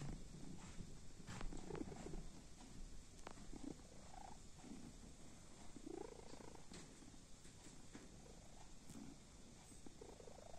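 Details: Sleeping kitten giving a soft, low, continuous purr that rumbles steadily throughout. It is faint against a quiet indoor hiss, with a few brief clicks and taps scattered through.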